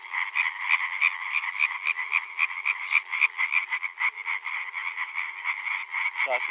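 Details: Male European tree frogs (Hyla arborea) in full chorus, a fast, steady series of harsh, rattling croaks at nearly four per second, several callers overlapping, with a short voice at the very end.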